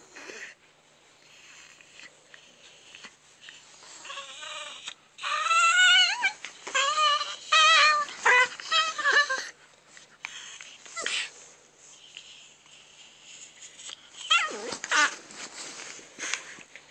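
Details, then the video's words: A grouchy Chihuahua named Ram-Ram, disturbed while trying to rest, gives a run of whiny, grumbling vocalisations, rising and falling in short bursts from about the fourth second, with quieter gaps and a final burst near fifteen seconds. "Grouchy Chihuahua"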